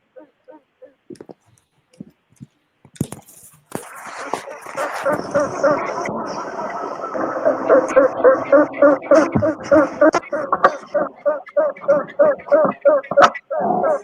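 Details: Honey bee queens "sing" in their royal cells, piping a series of short, steady, tooting pulses repeated rapidly in a rhythmic chant.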